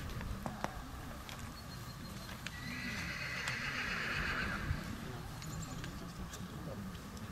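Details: Mare born 10 April 2016, at an autumn stud inspection in Krasne on 15 September 2017; a drawn-out whinny of about two seconds mid-recording, with hooves clopping and people talking in Polish throughout.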